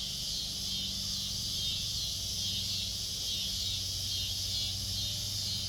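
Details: Cicadas singing in a backyard where kittens are kept: a steady, dense high buzzing drone that holds without a break, with a faint low hum beneath.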